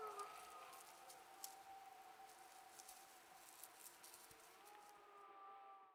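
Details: Several wolves howl together in the Yukon wild, caught by a trail cam. Long, steady, overlapping tones sit at different pitches. The chorus is faint beneath a hiss of background noise and fades out at the close.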